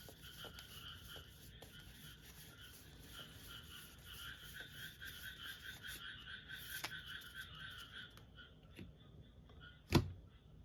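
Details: Frog chorus through an open window, continuous pulsed croaking over low hum, with soft indoor taps and a sharp knock near the end.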